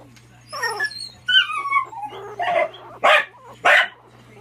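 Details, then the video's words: AKC miniature dachshund puppies: a run of high, falling, whining yelps with clear harmonics, then three short, sharp yips or barks about half a second apart, over a steady low hum. "AKC mini dachshund puppies"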